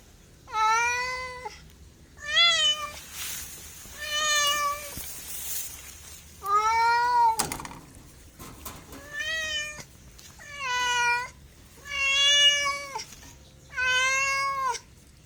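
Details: Domestic cat giving a long series of eight meows, each steady and harmonic-rich, some slightly rising then falling, repeated about every one and a half to two seconds with brief clicks between.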